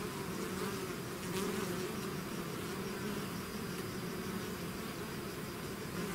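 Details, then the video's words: Bees swarming out of their hive make a continuous droning buzz, individual wingbeat tones rising and falling within the mass, one sharper close pass early on. "bees therapy swarm natural buzzing sound"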